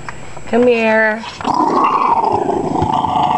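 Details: Small pet dog indoors, growling and whining while its owners try to take its bone away: a steady, tonal whine of under a second, then rough, grumbling growl under close human speech.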